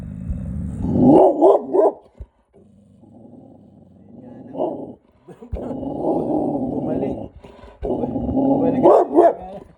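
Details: Bulldog named Bonnie reacting to someone passing by, giving short harsh barks in bursts near the start, middle and end, with low rumbling growls in between and people talking nearby.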